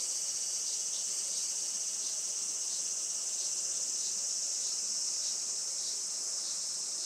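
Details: Summer cicada chorus at a traditional farm in Saitama, Japan, late morning of a sunny 20 July 2024; steady, piercing high-pitched buzzing wall of sound with slight rhythmic throbbing and nothing else clearly heard.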